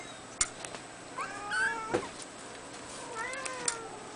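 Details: Red male Abyssinian kitten at two weeks old, born 22 April 2010: soft, short squeaky mews, one sliding downward, amid clicks and light handling sounds in a quiet room.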